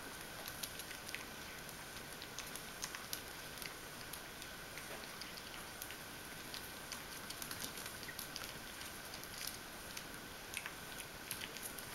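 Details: Constant faint hiss with scattered soft crackles and patters, like light rain, and no animal voice.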